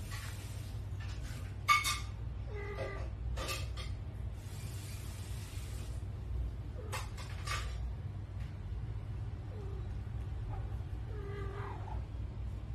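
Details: Cats meowing in a cute cat compilation: several short, tonal meows with falling and bending pitch, spaced through the clip, over a steady low hum and scattered bursts of broadband noise.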